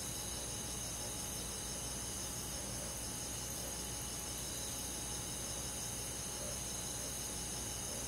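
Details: Crickets and forest insects calling together on a summer night, a dense, even wash of high-pitched trills without pauses, a soft low rumble beneath.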